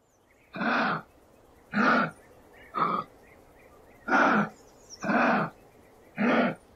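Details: Kangaroo in Australian wild setting giving six harsh, raspy, breathy bursts, each about half a second long and spaced roughly a second apart, with faint chirps from small birds in the background.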